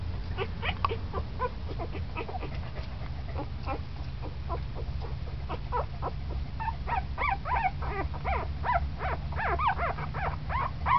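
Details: Puppy at ten days old, becoming lively, produces scattered soft squeaks that build into a busier run of high, bent whines toward the end, over a noticeable low-pitched hum.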